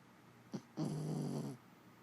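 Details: Sleeping female Jack Russell Terrier snoring: a brief snort followed by one rough, rattling snore lasting under a second, with low room hiss around it.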